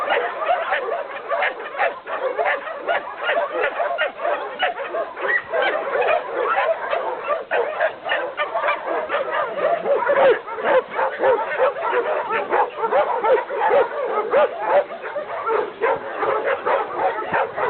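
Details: A group of dogs keeps up a steady stream of high, overlapping yaps and barks, packed closely with barely any gap between calls.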